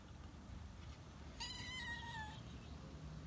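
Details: Stray cat returning to a roof and meowing for food: a single drawn-out, clear meow lasting about a second, steady then dipping slightly at the end, over a constant low rumble of traffic.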